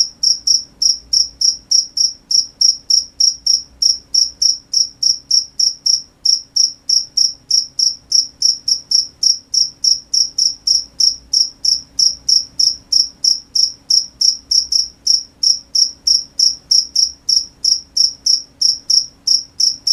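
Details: Night crickets chirping continuously, shrill high-pitched pulses rapidly repeated roughly three times per second, steady and unbroken throughout, with a faint upper overtone and a quiet background.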